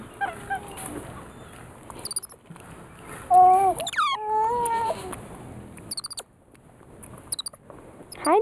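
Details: Gemma, a female weeper capuchin, snacking on a sugar-free almond cake, gives a run of clear, tonal, wavering whines midway through, some rising sharply, between quieter clicks and rustling.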